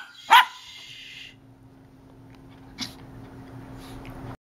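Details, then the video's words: Havanese dog indoors barking at a tissue box: one sharp loud bark near the start, then a fainter bark later, with low steady hum between and a person quietly hushing. "barking at a tissue box"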